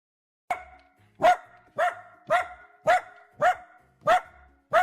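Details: Dachshund whining with happiness while being petted: short, bright, tonal yelping whines, each rising then falling, repeated about every 0.6 seconds, eight in under five seconds, with a quiet background.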